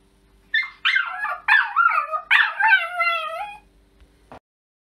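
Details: Maggie, a West Highland White Terrier lady in Germany, lets out a quick run of yelping whines that stretch into bending, howl-like cries for about three seconds. It ends with a single click in an otherwise quiet room.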